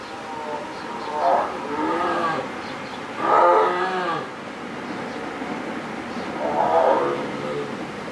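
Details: A male black jaguar at Oji Zoo, Kobe, on 25 October 2019 gives hoarse, drawn-out moaning calls spaced a few seconds apart.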